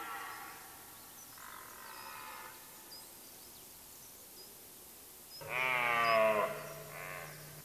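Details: Red deer hart roaring in the rut, late September, Mecklenburg-Vorpommern, Germany: two fainter distant roars, then a loud, close, deep groaning roar with a falling harmonic stack, followed by a softer tail call.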